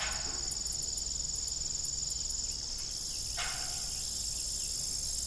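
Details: Crickets on an old family farm by a rusty, broken windmill in the evening: a steady high, shrill trill with a faster pulsed chirping layer above it, plus one short broadband knock.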